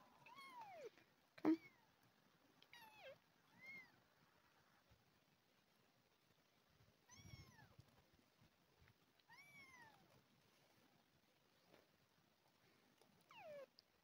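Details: Abandoned hungry kitten, one of two, during feeding with milk replacement; soft scattered descending meows several seconds apart over quiet room noise, with a sharp knock and brief speech.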